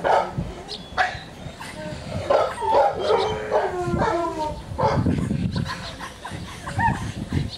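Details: A male Pomeranian gives short, high yips and thin whines while a person talks nearby.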